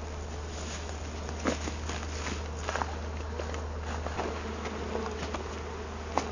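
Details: Continuous hum of a honey bee colony found living inside a felled tree, bees being collected with a bee-vacuum; the even buzzing is broken by scattered knocks and clicks from handling.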